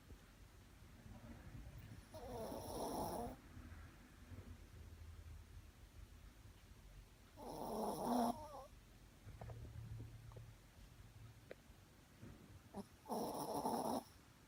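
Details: Shih Tzu snoring: three rasping snores at irregular intervals, each about a second long, with quieter breathing between them and a faint low hum in the room.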